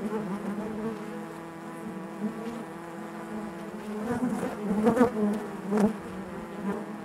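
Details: Many honey bees buzzing inside their hive, an even droning hum that grows busier toward the end with several louder, close buzzing bursts.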